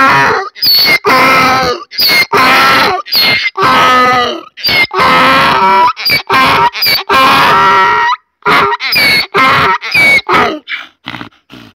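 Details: Keravnos the donkey at Zarkadia near Kavala, Greece, in a long bray: raspy see-sawing honks and squealed in-breaths repeated steadily, fading into shorter weaker gasps at the close.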